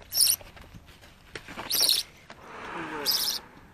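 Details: Orphaned female baby grey-headed flying-fox, found clinging to her dead mother on the ground beside a road under a large fig tree; three shrill, very high squeaks roughly 1.5 seconds apart, with soft human voices between.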